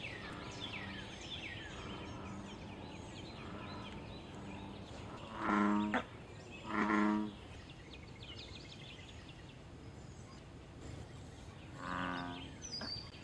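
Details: American bullfrog (Lithobates catesbeianus) in water, giving deep, booming, cow-like advertisement calls a few times to attract mates and defend territory, with faint bird chirps behind.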